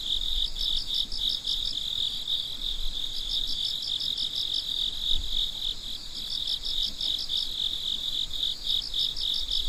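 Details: At night, crickets keep up a dense high trill, with groups of quick pulsed chirps rising and pausing over a steady shrill tone and a soft low hum.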